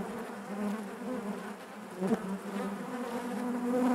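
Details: Inside a honey bee hive, a continuous low drone of many wings hums without pause, the pitch drifting slightly and swelling toward the end, with one brief louder buzz passing close around the two-second mark.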